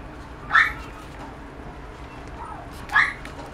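A toy poodle puppy gives two brief, high yelps a couple of seconds apart.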